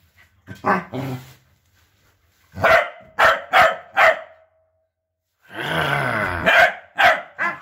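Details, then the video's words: A husky learning to bark from a party of corgis. A few scattered yelps, then three loud evenly spaced barks, then a sustained moaning howl merging into further hard barks. "Corgi Party teaches husky Hunter to bark.."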